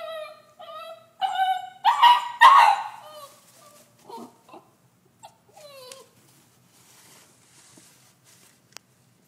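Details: A female Basenji puppy left alone in her cage gives high, tonal, yodeling whimpers that swoop up and down, breaking into louder yelping cries.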